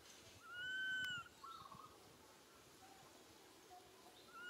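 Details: Little monkey Santo, a baby, cries for its mother Sara and asks for milk: one drawn-out, level whistled wail with a bright overtone, held under a second, then quiet outdoor background.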